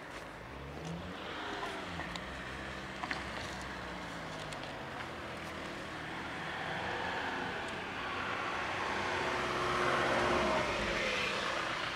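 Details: City street just before a curfew, with the rumble of passing cars swelling and fading and a few faint clicks; no animal sounds.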